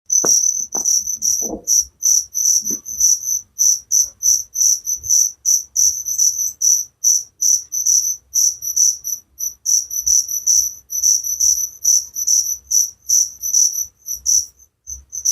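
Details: Cricket chirping steadily, a relaxing sleep sound: high, shrill pulsed chirps repeated about two to three times a second without letup, with a few faint low knocks near the start.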